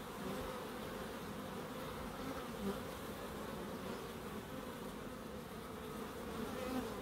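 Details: Bees in a small wildlife garden behind an end terrace house in Crookes, with bird boxes and a small pond: a steady, unbroken low buzzing drone holding even loudness throughout.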